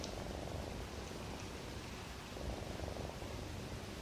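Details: Pet cat sleeping and snoring, dreaming of its mother's milk: a soft, low rumbling breath sound that swells and fades slowly under a steady background hiss.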